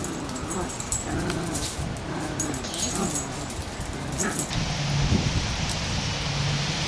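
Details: Dog sounds during a pit bull's attack on a small Chihuahua: rough, low growling and whimpering bursts in quick uneven succession, giving way after about four and a half seconds to a steadier, louder hiss of broadband noise.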